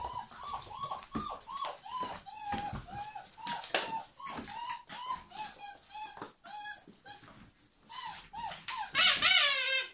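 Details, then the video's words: Several German Pinschers indoors, rapid high-pitched yelping barks, each a short arched tone, coming in quick overlapping bursts about four per second, growing louder and shriller toward the end. "German Pinschers Mad Dog House"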